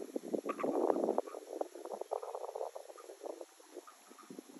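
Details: Frogs recorded on 17 June 2022: a dense chorus of rapid, low, rattling croaks that overlap thickly for the first second, then thin into scattered pulses. A faint steady high hiss runs throughout.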